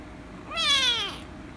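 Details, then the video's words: Angry rescue kitten meowing loudly when petted: one drawn-out, strongly harmonic meow lasting about half a second, starting high and sliding downward, over a quiet indoor background. "The Rescue Kitten Angry And Meowing Loudly If I Pet Her - Cats Meowing"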